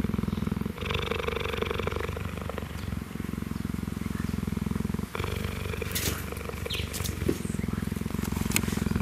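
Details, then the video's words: Kinji the cheetah, who rarely purrs, purring contentedly as meerkats groom his fur; a continuous low rhythmic purr throbbing through the whole stretch, with scattered rustles, scratches and a few sharp clicks. "Kenji purring was a rare treat and I'm glad I captured it on film"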